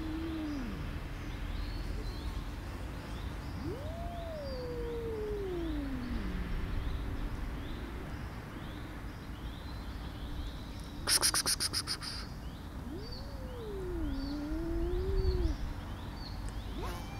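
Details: Tortoiseshell cat, angry and fighting off the others so no one gets food, letting out long yowls that swoop up and slide slowly down, two separate wails with a pause between; a brief rattling noise and soft background bird chirps.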